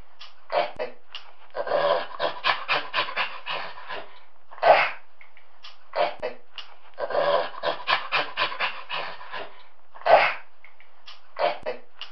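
A chimpanzee gives rapid, breathy panting sounds that build into a loud, sharp hoot, twice over.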